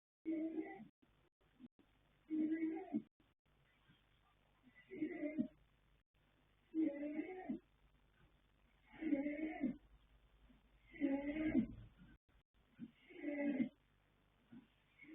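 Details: Sleeping colt foal Yanta, born 21 January 2026, sire Fast Force, dam Pink Blossom, snoring loudly: raspy, throaty snores with a faint higher rasp on top, one every two seconds or so, seven in steady succession, quiet breathing between.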